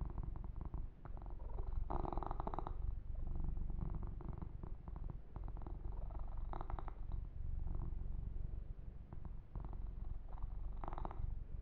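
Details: Kitten purring contentedly under a massage with fur grooming, a low rhythmic rumble running throughout, joined by several short scratchy brushing bursts.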